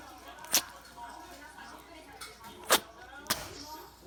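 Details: Chihuahua named Lulu sneezing repeatedly at the change of seasons, part of a run of eight sneezes; three short, sharp explosive bursts, one early and two close together near the end, over a quiet indoor background.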